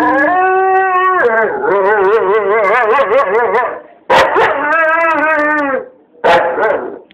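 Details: A dog howling in long tonal bursts, the middle part wavering up and down in a quavering pattern, broken by short pauses and yelping onsets, ending with a brief final howl.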